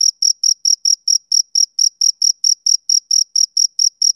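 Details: Shrill, evenly repeated chirps from a male cricket, about four per second, each pulse crisp and high. The surroundings are otherwise silent.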